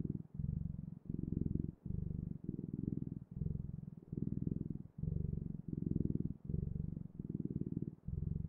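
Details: Close, steady cat purring: a low, throbbing rumble in even bursts, each cut by a brief breath pause, about a dozen bursts in quick succession, with no other sounds.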